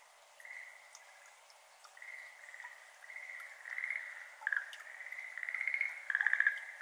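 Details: Schlegel's green tree frog (Zhangixalus schlegelii, endemic to Japan) gives bursts of rapid, rattling trills over a steady hiss of water and dripping into a flooded iris garden, recorded 17 May 2022 at 6:53 pm.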